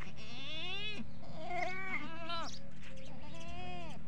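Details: Male and female desi goats at a goat farm bleat in wavering, nasal cries in quick succession, calling for food or for their kids.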